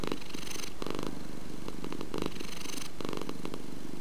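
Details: Domestic cat purr, a rhythmic deep rumble with louder bursts roughly every second as air moves in and out, constant soft vibration continuing underneath.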